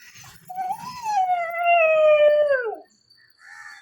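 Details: Chikku, a puppy aged nine months, howls mournfully after being left at home when the man of the house went out. One long, steady, tonal howl of about two seconds falls away at the end, with soft whimpers after.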